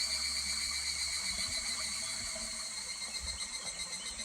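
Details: Higurashi cicadas calling in July beside a stream at Kuragari Pass: a steady, shimmering high insect chorus with bright stacked tones, a fine rapid pulsing and no other clear sounds.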